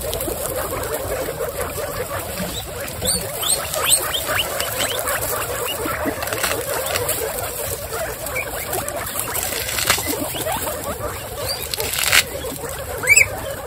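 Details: Excited female guinea pigs from a group of twenty-six stand up and wheek. High squeals, some rising, come in scattered bursts over a busy, rustling background of patter and movement, with a louder squeal near the end.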